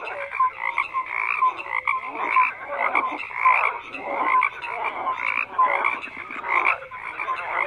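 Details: Chorusing frogs fill the air with overlapping croaks, pulsed rasps alternating with short bright notes, loudness pulsing roughly every second or so.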